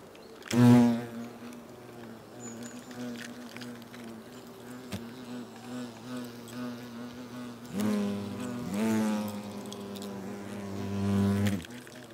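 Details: European hornets (Vespa crabro) at a nest in South Moravia, Czechia, August, during food exchange; a steady low buzzing drone runs throughout, swelling into louder bursts of wingbeat hum near the start and again in the last few seconds.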